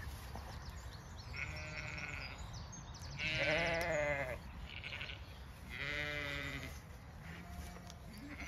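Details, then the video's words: Dawn on a County Kilkenny farm in Ireland, where two strong quavering lamb bleats rise around the middle, set against steady high bird chirps and whistles of the dawn chorus and a soft low rumble. "Dawn chorus, flowers& lambs"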